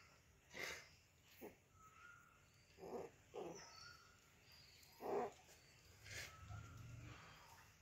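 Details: Rottweilers at playtime, one giving short, breathy grunts and huffs, spaced irregularly a second or two apart.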